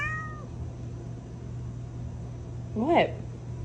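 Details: Domestic cat: a brief fading meow opens, followed after a pause by a louder, wavering mew near the end, with a constant low hum underneath.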